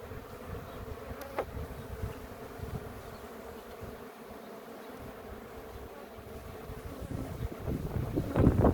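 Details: Honey bee hive, described as very aggressive, during a post-harvest queen inspection in Ceyhan in July; a steady low buzzing hum fills the whole stretch, with soft rustling growing louder at the end.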